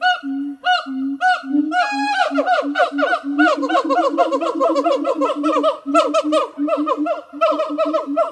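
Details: Two siamang gibbons at a zoo sing on a hot summer morning in August: loud hooting calls that speed up into a rapid series of ringing barks. Siamang.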